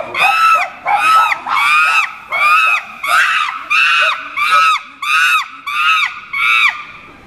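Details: A chimpanzee screams: about ten loud, harmonic shrieks in a steady series, each roughly half a second long and bending downward at the end, repeated at an even pace with brief silences between.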